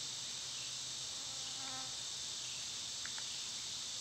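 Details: Summer cicada chorus, a continuous shrill droning hiss that holds level throughout, with faint soft chirps underneath and a brief double note near the end.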